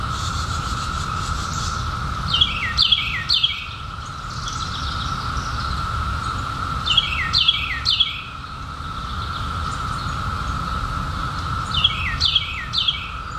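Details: Periodical cicadas in 2021, just emerged after 17 years underground, making a steady, even droning hum that never breaks. Over it, a bird gives bursts of high, quick chirps roughly every four to five seconds.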